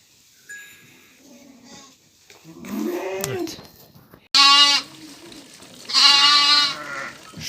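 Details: Lambs in a Turkish barn at evening feeding time, separated from their mothers: two loud, harmonic, wavering bleats in the second half, preceded by quieter human speech and shuffling.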